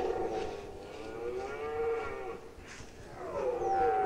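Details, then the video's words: Red deer stag roaring during the 2019 rut in Unteres Odertal National Park, Germany: long, drawn-out harmonic bellows that rise and fall, with a second voice overlapping near the end. "Hirschbrunft 2019 (red deer rut 2019)"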